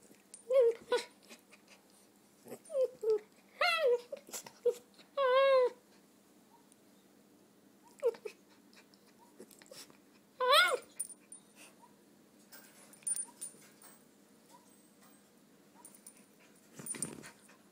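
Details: Three-year-old female red toy poodle whines while playing a usual game indoors: wavering, bending whines in clusters during the first six seconds, a strong wavering whine near ten seconds, then quieter breathy sounds.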